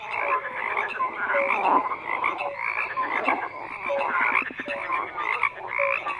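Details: Frogs croaking in a dense chorus, overlapping pulsed croaks and short whistled notes layered continuously, with brief rhythmic bursts of rattling calls throughout.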